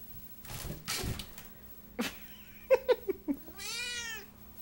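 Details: Dory, a Siamese cat stuck in a giant box and trying to escape, gives a few faint sounds, then four short chirping mews in quick succession and a long, wavering harmonic meow that rises and falls. A woman talks to her between the calls.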